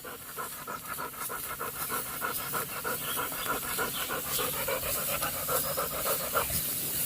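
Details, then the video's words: Labrador Retriever named Golden out in a farm field, panting in fast rhythmic breaths about three times a second, with a person's voice calling nearby and faint outdoor background. "Funny Labrador Dog Video"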